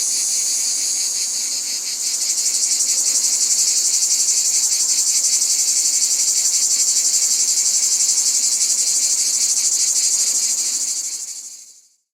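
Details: Cicada buzz in nature, shrill and continuous, strengthening after two seconds into a regular quick pulsing around four times a second, then fading away to silence in the final second.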